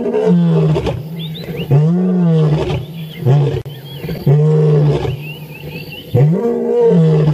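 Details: Male lion roaring at sunrise on 15 January 2017: deep, powerful grunting roars in a run of four long swelling bursts about two seconds apart, each rising then falling, with small birds chirping between them.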